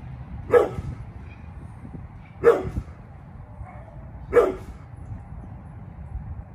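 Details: Bullet, a pit bull close to turning eleven, guards the yard with three loud separate barks roughly two seconds apart, low hum underneath.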